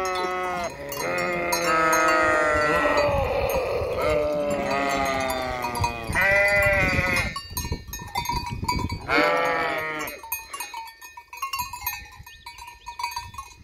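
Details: Flock of sheep bleating beside the empty Hotel Fürigen, several overlapping wavering harmonic bleats in the first ten seconds, some long and quavering, then quieter ringing and faint background sounds.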